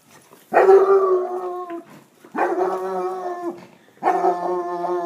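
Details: Basset hound baying in three long, drawn-out howls of roughly a second each, rich and harmonic, each ending with a slight drop, separated by brief silences.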